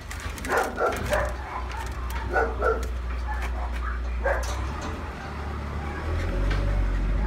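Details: Male golden retriever puppy from a breeder: short, high yelping yips come in small bursts, the first near the start, then more at two to three seconds and one past four seconds, over a steady low hum.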